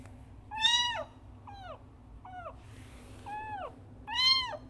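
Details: Frangky, a kitten, meowing hard for its mother: a loud arched cry, three softer shorter meows, then another loud rising-falling meow, all over a low steady hum.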